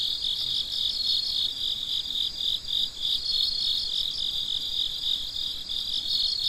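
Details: Night chorus of crickets: rapid, even high-pitched chirps repeating several times a second without pause, layered callers forming a constant trill.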